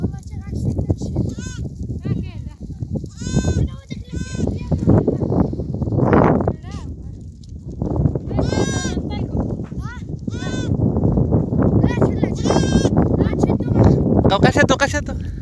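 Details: Goat herd with many overlapping bleats, quavering tremulous cries repeated through the clip, some high and strained, over steady low rumble and shuffling noise.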